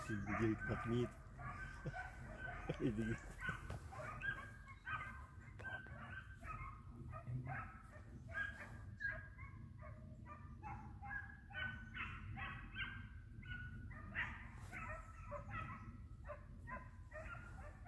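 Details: Pack of three hounds chasing a flushed hare in sight, bays rolling almost without break in a dense chorus, loud human voices and thumps near the start, low rumble underneath.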